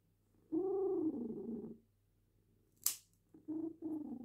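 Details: Female cat having her claws clipped, purring in uneven rumbling phrases, one with a slightly tonal rise and fall, broken by a single crisp snip of the clipper.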